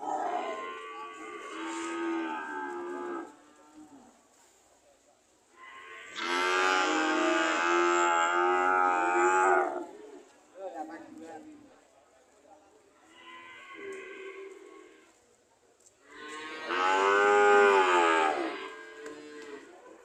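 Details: Cows ready to leave give four loud, rich, harmonic moos, each lasting about two to four seconds, separated by brief pauses and softer lowing.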